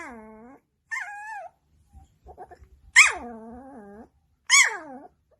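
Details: Pet dog vocalizing back at its owners, as if talking or arguing: drawn-out tonal howls and whines, a falling moan, then two loud rising-falling yowls about a second each, with faint clicking between.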